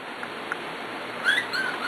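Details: Whining from four-week-plus Corgi puppies in a new swimming pool: a quick series of high, thin squeaks and whistled whimpers in the second half, some slightly rising, over constant low hiss.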